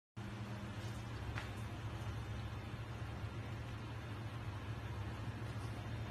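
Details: Steady low-pitched rumble of traffic or machinery, with faint hiss and a brief click, and no animal voice.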